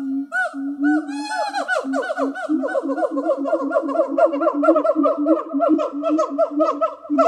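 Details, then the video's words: Zoo de La Fleche siamangs Harry and Mila, singing together one hot summer morning in August 2018. Rising whooping notes give way to fast, continuous chattering barks layered over a sustained deep droning tone. "Singing Siamang Gibbons"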